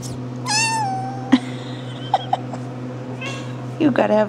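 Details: RagaMuffin kittens of the Shrek litter, 10½ weeks old, indoors: a thin, high, drawn-out kitten meow near the start, more short mews toward the end, with a woman's voice and a constant low electrical hum.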